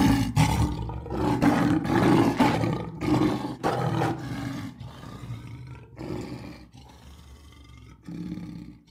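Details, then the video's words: A lion gives a run of short, heavy, grunting roars, about one each second at first. They grow quieter and more spaced out, with a steady low rumble underneath. "LION SOUNDS for Kids - Learn Roaring, Growling and Purring Sound Effects of Lions - 5 Lions Roaring"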